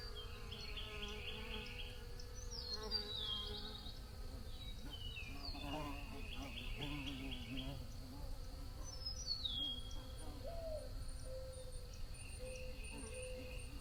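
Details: Droning buzz of bees, several overlapping hums rising and falling in pitch, with scattered high chirping and trilling birds and a low steady rumble beneath.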